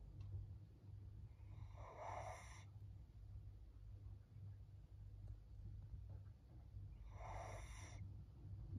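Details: Maria, a thirteen-year-old female fawn pug filmed in Japan in April 2024, breathes noisily while resting: two broad snorting breaths about five seconds apart over a steady low hum.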